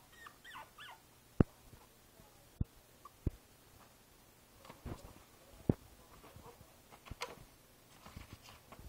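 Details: Princess Izzy, a five-week-old Boston Terrier puppy lying in a basket, recorded 12/4/2011, gives faint, high, quavering whimpers in short bursts early and late, among sharp clicks, knocks and soft rustling.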